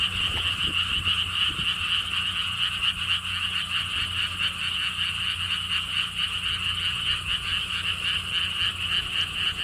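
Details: Frogs calling in a lotus pond at a lotus theme park beside a stone wall path in Siheung, South Korea: a dense, unbroken chorus of rapid high rattling pulses, many callers overlapping steadily, with low background rumble.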